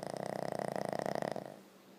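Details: Boston Terrier dog snoring loudly indoors: a rapid, pulsing rattle with dense fluttering vibrations, loud for about a second and a half before fading to quiet breathing, with a steady low hum underneath.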